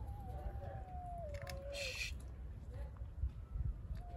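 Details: Street cat reaching for food under a car: one long, wavering, drawn-out meow that slowly falls in pitch for about two seconds, then a short higher note near the end, over steady low rumble and a brief clatter.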